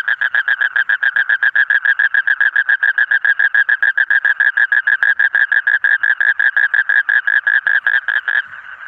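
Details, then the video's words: Clean recording of a frog calling in a fast, steady series of buzzy, rattling pulses at mid pitch, uniform in loudness, stopping suddenly just before the end and leaving a soft hum. "Different Colorful Frog Sound"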